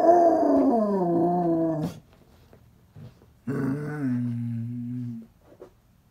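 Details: Basset Hound indoors giving two drawn-out, wavering vocal notes with rich harmonics, the first falling and ending near two seconds, the second lower and steadier, separated by a quiet gap.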